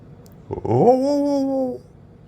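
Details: A calm, friendly pet Rottweiler, reacting to its owner's weird noises and "speak" prompts, gives a single drawn-out, tonal woo that rises and then holds steady.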